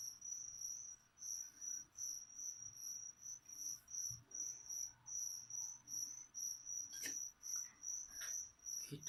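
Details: Feeder crickets kept to feed a pet leopard gecko give a thin, high chirping in short pulses, about two and a half per second, steady throughout, with a few sharp clicks and rustles near the end.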